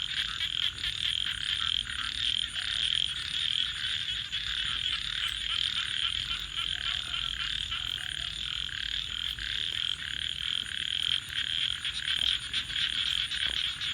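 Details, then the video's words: At night near a crackling campfire, many frogs keep up an unbroken, shimmering high trill, swelling and easing slightly over fourteen seconds with a few sharp clicks on top. "Crackling Fire 🔥 and frogs 🐸 Sounds"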